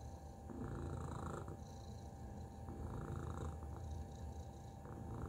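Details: Low, throbbing purr from Tacy the domestic cat, a dense rumbling vibration pulsing several times a second without a break, over a thin constant background hum.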